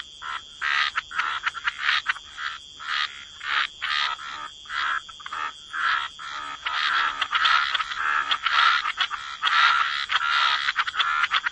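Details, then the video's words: Frogs croaking at the waterside, raspy croaks repeated about once a second, building into a denser overlapping chorus, over a steady high background drone. "Frog Lullaby: Relax to the Sound of Croaking Frogs"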